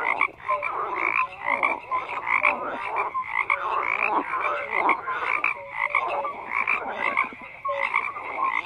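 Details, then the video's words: Dense chorus of many frogs croaking at once, rapid rasping pulses mixed with brief bright tonal notes, the whole mass swelling and easing in loudness without pause across the recording. "FROGS CROAKING"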